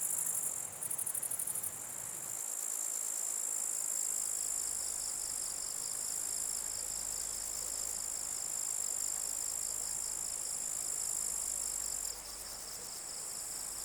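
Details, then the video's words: Many grasshoppers at night give a shrill, steady buzz, layered with a second, lower, rapidly pulsing trill that runs through most of the recording, and short rattling bursts at the start and near the end. "Grasshopper Sounds | Grasshopper Buzz, Night Grasshopper Humming Sound, Mass Grasshoppers Sound"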